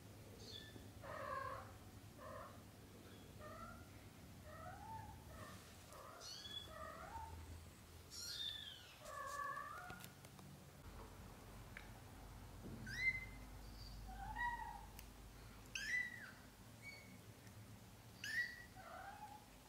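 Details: Young British shorthair kittens, four littermates aged up to a month: a steady stream of short, thin, high mews, often overlapping, some rising and some falling, with quiet rustling underneath.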